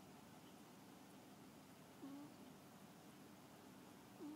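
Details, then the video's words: Domestic cat snoring in its sleep: two faint, brief whistled breaths about two seconds apart, each a short drop then level tone, over soft room noise. "Snoring Cat"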